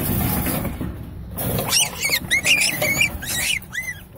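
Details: An adult domestic rabbit raised in a wild colony-like pen without much human contact gives a rapid series of shrill, piercing distress screams while resisting handling, fighting tooth and nail.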